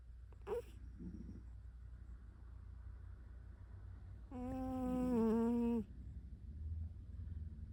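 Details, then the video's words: A house cat named Zuka asleep in a lap in bed, snoring: a short breathy snort, a quiet pause, then one long, steady, whistling nasal tone of over a second in a quiet room. "My cat Zuka snoring"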